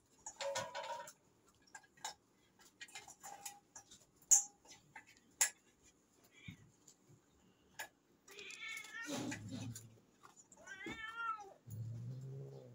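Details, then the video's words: A domestic cat meowing: two drawn-out harmonic meows with falling pitch near the end, a lower rumbling sound after, scattered clicks and taps earlier. "cat nice video"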